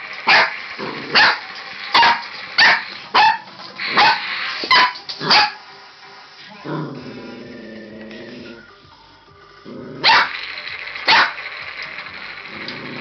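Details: Skylar, a red merle tricolor Border Collie puppy born 18-11-13, playing with a robot dinosaur; sharp barks come in a rapid run of about eight, then a gap filled with the toy's electronic tones, then two more barks.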